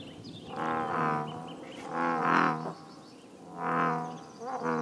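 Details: American bullfrogs at a scenic pond in Northern California, deep resonant drawn-out croaks, each lasting about a second and coming in four bouts roughly every one and a half seconds, overlapping slightly.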